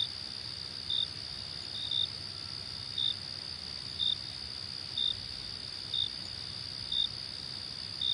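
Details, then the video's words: At night a cricket's brief, bright chirp recurs roughly every second, layered over an unbroken shrill insect drone. "Crickets and Night Sounds"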